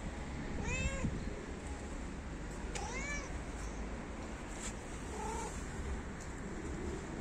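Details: Stray cat meowing outdoors, a street animal fond of licking feet: an arched meow near the start, a second similar one soon after, then a softer, lower call, all over ongoing traffic noise.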